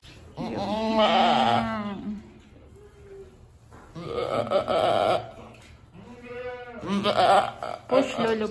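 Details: Domestic goat Lulu, a homestead nanny just starting to give birth, bleats three times: long, loud, wavering cries of about a second or more each, separated by short quiet gaps with low background rumble.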